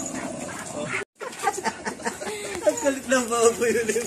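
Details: Playing American Bully puppies: after a brief silent break, a run of short yips builds into tonal, wavering whimpers over the last second and a half, against a noisy background.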